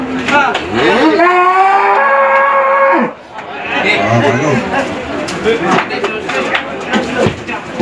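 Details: Muscular show cattle at the 2018 Sado cattle competition in Manir, Terengganu, Malaysia: a drawn-out, rising, harmonic moo lasting about two seconds, followed by a loudspeaker announcer talking and crowd noise.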